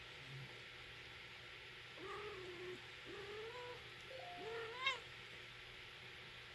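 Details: British Shorthair silver shaded chinchilla mother cat with her kitten: a series of soft, rising-then-falling meows, three or four drawn-out calls, the last one higher and sharper, over a steady low hum indoors.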